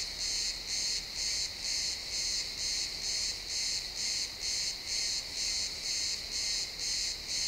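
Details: Crickets at sunset among pines, high-quality XY stereo: shrill rhythmic chirp bursts about two per second, unbroken and even, over quiet woodland ambience.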